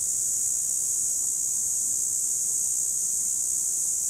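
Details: Cicadas recorded in 2017 make a steady, unbroken, high-pitched hissing buzz that holds an even loudness from start to finish, with no other clear sounds.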